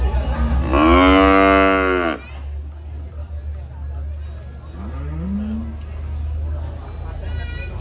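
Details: Cattle being fed by a child, a cute animal in its pen: one long, loud, harmonic moo lasting over a second, then a shorter rising call a few seconds later, over a steady low hum and quiet voices.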